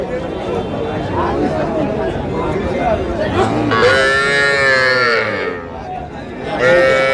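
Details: Little Sahiwal bull and heifer calves at a Faridpur cattle market: after several seconds of voices and bargaining, a long wavering moo rises and fades, then a second call begins at the end.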